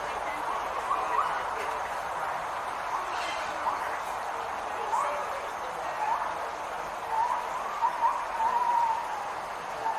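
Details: A distant gibbon howls in the background at Santa Fe Teaching Zoo, Gainesville, Florida, during feeding time: faint, rising whooping notes every second or two, climbing into a quicker run near the end, over steady crowd murmur.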